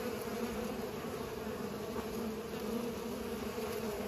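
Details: Bees busy pollinating produce a dense, unbroken buzzing drone, layered tones holding steady for the whole stretch with slight swells in loudness.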